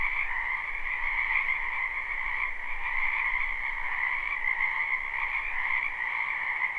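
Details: Spring wetland chorus of many frogs, recorded live with no looping: fast, continuous croaking trills forming a smooth two-tone drone, slightly quieter and even throughout, with a faint low hum beneath.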